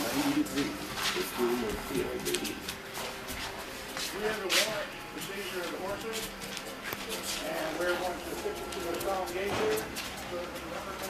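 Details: Alaskan Malamute puppies "talk" in wavering, rising-and-falling woo-woo vocalizations in snow on the first day of spring after a long, fairly dry winter.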